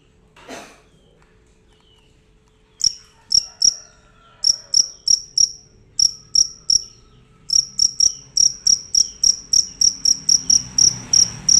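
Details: A fierce cricket giving loud chirps: after a quiet start and a faint distant sound, sharp high chirps begin and repeat steadily, roughly every half second, growing denser toward the end, with a low background hum.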